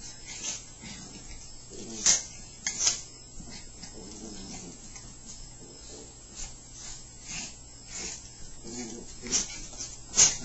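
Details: Two Chihuahuas, Happy and Sammi, wrestling indoors and growling as they play; low, rough harmonic growls come in short bursts between sharp clicks and scuffling, with a steady low hum behind.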